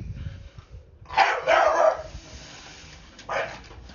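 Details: Blue Staffordshire Bull Terrier at home barking at a broom it fears: a loud double bark in quick succession, a pause, then one more single bark, over low rumbling background noise.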